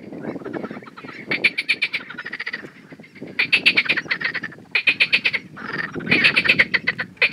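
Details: Male marsh frog (Pelophylax ridibundus) in Romania calling, grey vocal sacs inflating; loud bursts of rapid rattling pulses about a second long, repeated after short pauses, with softer croaking chuckles between bursts.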